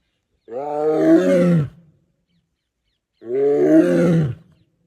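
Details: Tiger roaring, recorded without a microphone: two deep, rich harmonic roars, each lasting about a second, separated by a silent gap.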